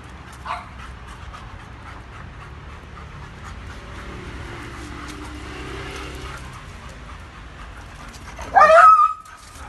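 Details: A German Shepherd and a Doberman, Tiffany and Thunder, meeting for the first time and becoming best friends. Low background murmur and soft movement, then a sudden high-pitched yelping whine near the end.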